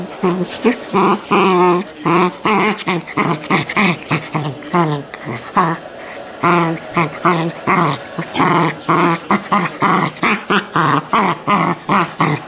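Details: Shetland Sheepdog puppy from a litter in Colorado, USA, making a run of rough growling, grumbling vocalizations in short bursts roughly every half second, some with wavering whiny tones, continuing steadily for over twelve seconds.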